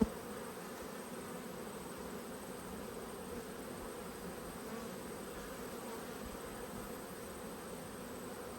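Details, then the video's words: Honey bees from a hive upset at being inspected, March 2022, buzzing around the opened box; an even, unbroken low drone fills the whole stretch, with one brief knock at the start. "When Bees Go Wild - Inspecting Two Angry Hives"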